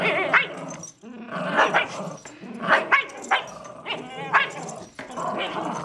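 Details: Rope tug-of-war between two dogs, a miniature schnauzer named Riley and a lhasa apso named Buddy; gritty growls rise and fall in uneven bursts with yappy, barking accents, repeated a few times across the struggle.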